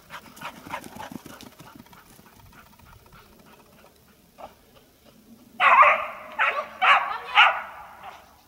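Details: Dog during treibball: several quiet seconds of faint rustling and low murmur, then a burst of four loud, harsh barks in quick succession near the end.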